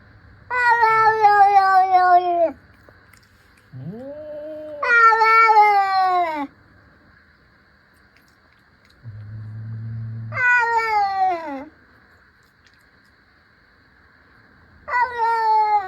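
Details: Two playful cats facing off with stares and paw swipes trade loud, drawn-out meows, each a harsh harmonic wail sliding downward over one to two seconds, four bouts with softer low murmurs between them.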